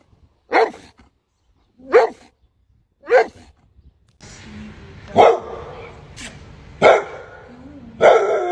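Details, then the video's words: Dog barks, a compilation of funny bark sounds: three separate sharp barks in the first half, then more barks over a background of music and noise. "Top funny bark sounds battle! Who's the loudest?"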